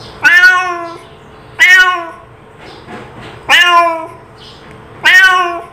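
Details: Domestic cat giving a calling meow, four loud drawn-out harmonic meows, each about a second long, repeated roughly every one and a half to two seconds, with faint quieter sounds between them.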